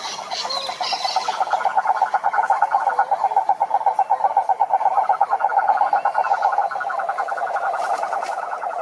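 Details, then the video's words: Croaking toad: a rapid rattling run of mid-pitched pulses that starts after a brief pause, stays loud through the middle, then fades a little. A few faint higher chirps are heard. "Som do Sapo Coaxando"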